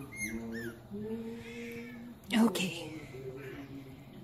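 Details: Pet Chihuahua saying hello indoors, with Milo called by name: drawn-out, moaning howl-like tones held for about a second each, one after another, then a sharp noise and a woman's voice urging hi.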